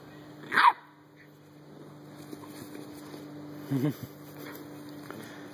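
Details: Backyard play among three dogs, a Dalmatian, an American bulldog and a Chihuahua: one sharp, bright bark early, then a lower, throaty woof a few seconds later over a constant low electrical hum.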